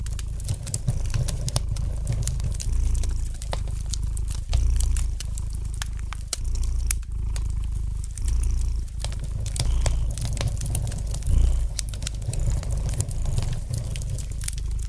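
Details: Gentle purring of a domestic cat near a crackling fireplace fire: continuous low rumbling throb rising and falling in breath-long waves, overlaid by frequent dry crackles and pops from burning wood.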